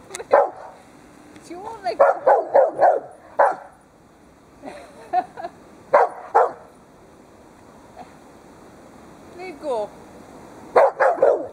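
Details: Pet Dobermann and Rottweiler playing with their owner, the Dobermann tugging on a scarf; short sharp barks come in quick bursts of three to five, with pauses between volleys and a person's voice in the background.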